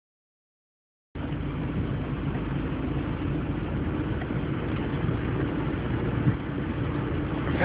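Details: After a second of silence, a car engine hums and rumbles steadily inside the vehicle, with no animal voice heard.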